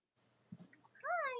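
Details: Cavalier King Charles Spaniel puppies, Robin and Myra's litters, indoors in the US on a chilly late-October morning: after soft low rustling and a murmur, one loud drawn-out whine rises then slowly falls, rich and harmonic, running to the end.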